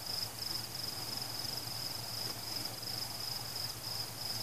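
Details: Crickets singing during a fireworks celebration, in a lull between explosions: a steady, high, finely pulsed trill runs without a break over a faint low hum, with no people, pets, music or cars.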